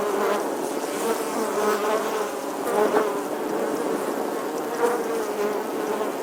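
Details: In summer, a bee gives a steady, droning buzz with a low hum that swells and fades slightly as it carries on.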